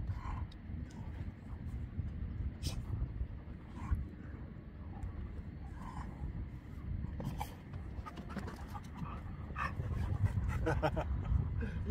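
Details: Senior Labrador Retriever named Beertje playing rough, panting in quick, irregular rasping breaths, a low breathy rumble with scattered brief scuffling clicks and knocks above it.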